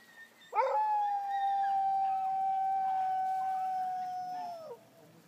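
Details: Sled dog in Kulusuk, East Greenland, in summer gives a single sustained howl, a short yelp then a long even tone held about four seconds, bending downward as it fades; sled dog howling.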